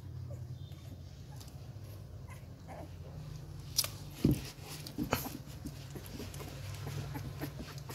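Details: Hungry 11-day-old Rottweiler pups at Gervi Kennel, given supplementary milk since the mother is short of milk, licking and sucking at everything. Short sharp whimpers and smacking bursts come midway over a steady low room hum.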